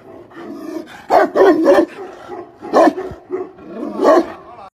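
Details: Tibetan mastiff giving deep, loud barks in short bursts, a double bark near the start followed by single barks roughly every one to one and a half seconds, with quieter rough breathy sounds between them.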